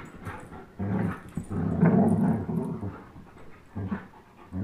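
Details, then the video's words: Two young dogs, an Old English Sheepdog and a German Shepherd, growling while playing tug of war; a sustained deep rumble swelling mid-clip, then shorter growly bursts and panting. "Old English Sheepdog vs German Shepherd tug of war"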